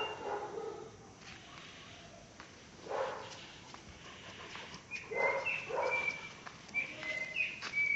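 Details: Caucasian Shepherd Dog named Pələng, one year and one month old, in Azerbaijan; a few hoarse, spaced barks at a distance, with whistled bird chirps in the background.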